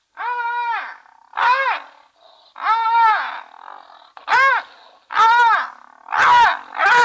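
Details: Three brown hyenas at Safarihoek Lodge, northern Namibia, on the edge of Etosha National Park, caught on a streaming camera: a run of seven rich, arched, moaning wails about a second apart, some higher and harsher, with faint background hiss.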